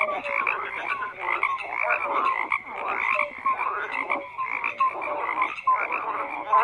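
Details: Chorus of many frogs croaking together, a thick mass of rapid pulsed calls with short tonal notes repeating every second or so, rising and falling in loudness but never stopping.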